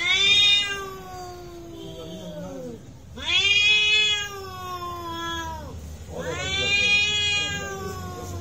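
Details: A real fight between cats: three long, piercing caterwauls roughly every three seconds, each swelling and bending downward, harmonics-rich and loud, with faint hum underneath.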